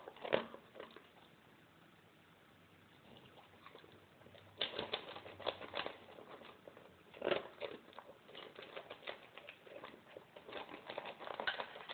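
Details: Indoor tapping, clicking and crinkling sounds, like kibble being crunched and claws on a hard floor, with no calls.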